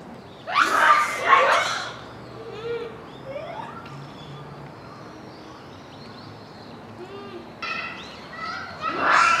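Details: Japanese macaque troop at Hamura Zoo, Japan, calling at dusk near closing time in December 2020. Loud harmonic shrieks come near the start and end. Softer rising and falling coo-like calls overlap throughout the middle.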